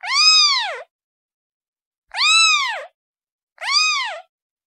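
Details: Three drawn-out, slightly strained kitten meows, each bending up then down, with gaps of one to two seconds; the young cat is calling its mother in an otherwise silent room.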